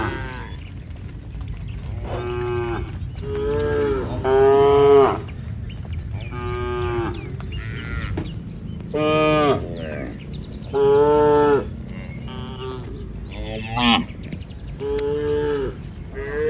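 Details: Tame village cattle herd returning to the shed, calling to one another: a long run of deep, harmonic moos, some rising then falling, about nine calls spread irregularly through the stretch, with low rumbling background.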